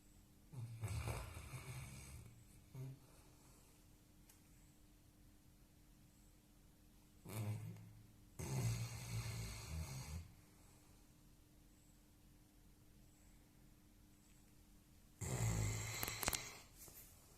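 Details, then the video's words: Labrador puppy asleep indoors, snoring in three long rasping bouts about seven seconds apart, each a low rumbling inhale with breathy hiss, separated by quiet breathing in a small room. "Labrador puppy snoring"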